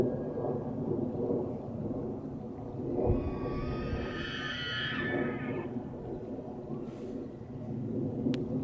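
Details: Two bull elk bugle at each other on a golf course in Estes Park, Colorado: a high, rising, whistled squeal with stacked harmonics over a low rumbling background.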